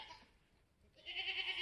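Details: Just-born Mini Alpine buck kid, black with white frosted ears and nose, on a homestead in March 2021: a short, shrill, wavering bleat starts after a quiet pause and holds steady to the end.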